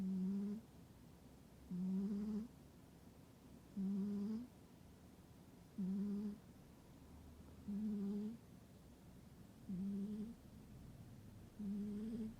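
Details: Domestic cat fast asleep indoors in a warm spot during winter, snoring steadily: seven low, humming, nasal breaths each lasting about half a second, repeating roughly every two seconds with a slight upward bend, in an otherwise quiet room.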